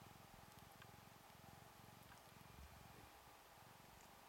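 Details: Ragdoll kitten, two weeks old, purring close up: a clear low pulsed rumble in rapid regular beats, each breath cycle lasting under half a second, over a faint steady hum.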